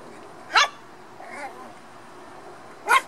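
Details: Playing black toy poodle puppies: two sharp high-pitched yips about two seconds apart, with a softer whine between them, against low room noise.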